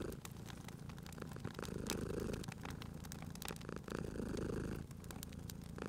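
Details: Purring domestic cat at a crackling fireplace: a low vibrating rumble in long inhale and exhale phases, with bright wood pops and crackles scattered across.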